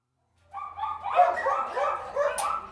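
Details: Dogs inside a kennel: several animals break into overlapping, harmonic yelping barks after a short silence, then keep up a steady, dense chorus of barks and whines.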